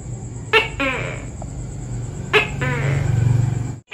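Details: Tokay gecko (Gekko gecko), arboreal and active at dawn and dusk: two spaced double-note calls, sharp onset then a buzzy fall, under heavy low rumbling like a passing engine and a constant high whine.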